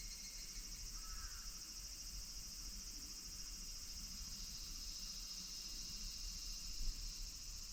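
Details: Higurashi cicada chorus from Minoo Park, Kawachinagano or Mount Koya, August 2026, forming a continuous high, finely pulsed buzzing band, with faint lower outdoor murmur and a brief louder bump near the end.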